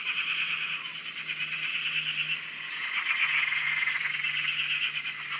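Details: At a dam in Australia, numerous frogs call at once from near a shack, producing a rapid, busy mix of high trills and clicking croaks, plus a faint low steady hum underneath.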